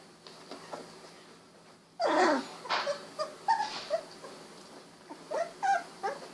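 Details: Golden Retriever puppies, 16 days old, eyes recently opened, wiggling and walking; after two quiet seconds comes a burst of short high whimpers and yips, then scattered brief squeaks at irregular intervals.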